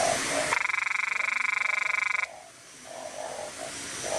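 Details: Narrow-mouthed frog, small yet loud, swelling its body while recorded close up with a Nikon camera. A harsh, rapidly pulsed, buzzing croak lasts almost two seconds, then fades into quieter calls of other frogs.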